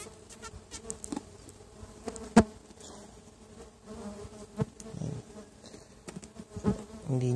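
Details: Boxed stingless bees (Tetragonula biroi) from a feral hive during inspection one month after box transfer; low droning buzz with bees passing near, broken by sharp clicks and taps from opening the hive.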